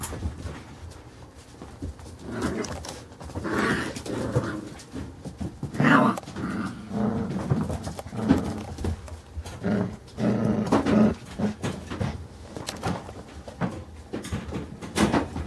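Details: Five-week-old Carolina Dog puppies at play inside a small room; low rumbling growls and grunts come in repeated bursts amid scuffling, with brief human speech.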